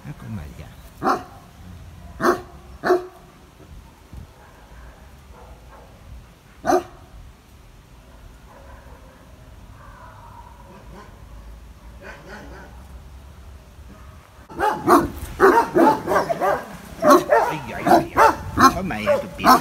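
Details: Benno, a male dog said to be a Landseer, in the Biberach animal shelter, barking fearfully at a stranger: a few single loud barks early, then a dense burst of rapid barking in the last five seconds, with quiet talk between.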